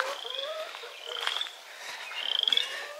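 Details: A frog in wet, waterlogged ground on a five-acre farm gives a high, rapid pulsed trill in short bursts. It had called non-stop all day and stops when someone approaches.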